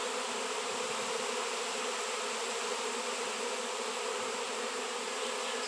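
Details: Honey bee swarm massing on a raw 7 lb shungite rock: a constant, dense buzzing hum of many wings, level and unbroken.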